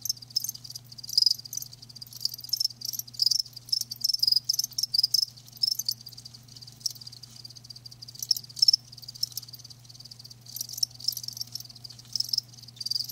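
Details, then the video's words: Live crickets produce scattered bursts of high pulsed chirping, busier at the start and end with a quieter stretch between, over a faint constant low hum. "Live Crickets 60min "Natural Sound""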